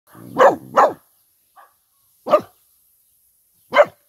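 A Vizsla barks loudly and abruptly, opening with two quick barks in succession. After a short pause come single barks roughly one and a half seconds apart, with a faint yip between them.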